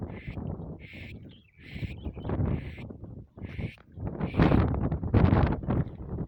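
A donkey brays in a rapid seesaw, thin high squeals alternating with rough, low honking gasps.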